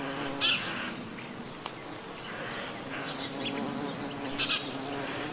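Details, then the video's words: Buff-tailed bumblebee in autumn countryside around the Gulf of Morbihan, Brittany, France, on 18 November 2011, with several Hymenoptera about; a steady low droning hum holds throughout, broken by brief high bird chirps. "BOURDON Terrestre/Bombus terrestris/Automne"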